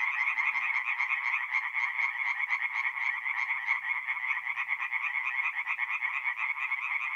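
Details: Many singing tree frogs at a north-east Italian forest pond on an April night, producing continuous rasping, quickly pulsed calls layered into a steady buzzing chorus with faint higher clicks above.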